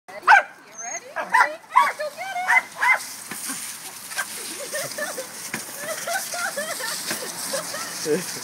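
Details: Corgis barking while biting at water sprayed from a hose: a quick run of sharp, high yapping barks in the first three seconds, then softer, lower yelps and murmuring voices over a steady hiss of spraying water.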